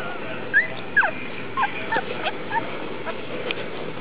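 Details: Litter of Vizsla puppies on August 1; repeated short, high, whining squeaks and yips, some falling in pitch, coming about twice a second from several pups.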